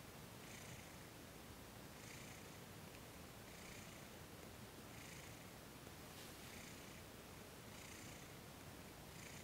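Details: Soft, continuous purring from the cat Thomas during a massage and Reiki session, December 2021; a low rumble runs throughout while hushed breathy pulses repeat roughly every 1.5 seconds, evenly paced across the whole stretch.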